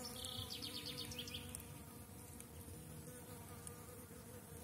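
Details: Apiary honey bees during intensive brood rearing, with young bees taking orientation flights and workers drinking heavily; a continuous droning hum with layered overtones and a brief higher whine near the start.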